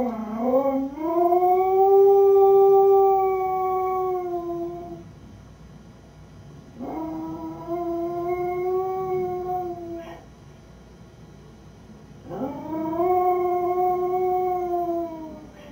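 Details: Lucy, a beagle mix left home alone, howls three times in long drawn notes that rise at the start, hold steady, then fall away, with quiet pauses of about two seconds between howls.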